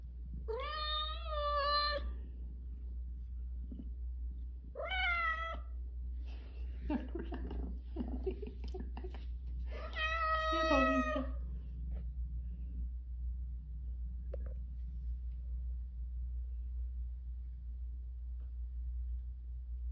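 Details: Stray cat from Haeundae, one of a rescued mother and daughter, indoors. Three clear harmonic meows spaced about four to five seconds apart, the last longest and sliding down at the end, over steady low hum and faint voices.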